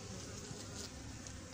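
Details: A white hornet caught in a bottle trap, giving a low, steady droning buzz with a faint harmonic hum throughout. It is fairly quiet against background noise.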